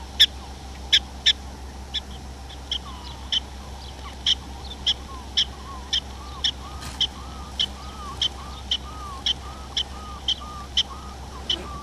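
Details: Prairie dogs in a small prairie dog town in North Dakota, filmed on a Canon SX70HS: sharp, clipped chirping barks repeated roughly every half-second, about twenty in twelve seconds, over faint lower warbling notes and a steady low hum.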